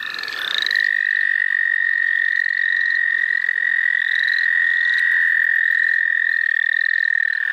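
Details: Tree frog in the St. Olaf College Natural Lands, found while catching frogs: one loud, steady trill at a single high pitch, held without a break for about seven seconds, with a faint higher overtone above it.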